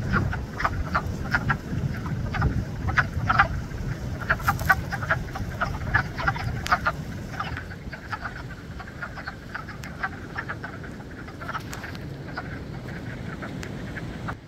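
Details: Spring frog chorus at Blue Cliff: many frogs calling together in short, sharp clicking croaks repeated irregularly about twice a second, over a steady low rumble of background noise.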